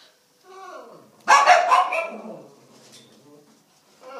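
Miniature schnauzer puppies give a loud, sharp bark after soft whining, with voices nearby.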